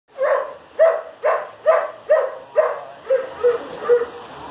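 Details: Sarge, a one-and-a-half-year-old German Shepherd completing four weeks of obedience training, gives eight sharp barks at about half-second intervals; the first six are loud and the last three are softer and lower, against quiet background hiss.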